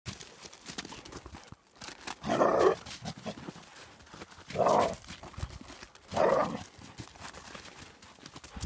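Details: Young black female hound playing with an adult male black retriever, jumping on him and biting his ears; three loud rough growling barks, each about half a second long, spaced roughly two seconds apart.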